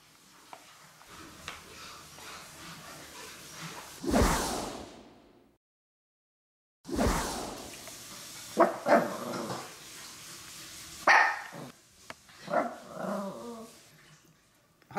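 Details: Maltese dogs at home, male Jamong and females Fanta and Blue, waiting to be given pet milk: a few short barks and whimpering yelps between bursts of a person's voice telling them to wait, with rustling and a gap of silence.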